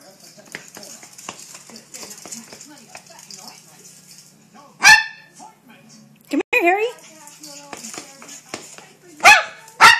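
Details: Maltese dog being chased in play, letting out several sharp yappy barks, a few in a quick cluster, while a woman talks and calls the dog to come here.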